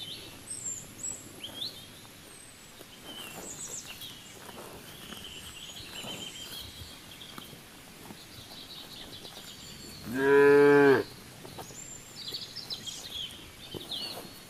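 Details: A cow grazing and eating grass in the fields gives one short, loud, low moo lasting about a second, with high bird chirps and steady outdoor rural background noise throughout.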